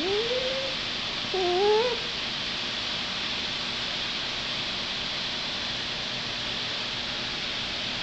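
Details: Toby, a pet dog, whining for his pink elephant toy: two brief, wavering whines in quick succession at the start, each rising, followed by several seconds of steady hiss.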